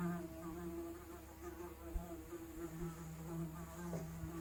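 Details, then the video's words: Unprocessed analog recording of a housefly's buzz: a sustained low, even hum with clear harmonic layers, briefly dipping and rising in loudness over a few seconds. "The sound of - Fly"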